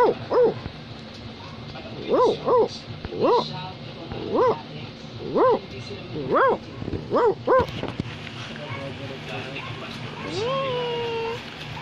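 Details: Australian Labradoodle, a Labrador Retriever and Poodle cross, barking indoors in short sharp double barks about every second, then a long falling whine near the end; a person gives commands before and after.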